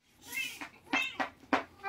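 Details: Siamese cats wrestling noisily indoors in the Philippines, giving a strained harmonic yowl followed by short sharp squalls and yelps in quick succession.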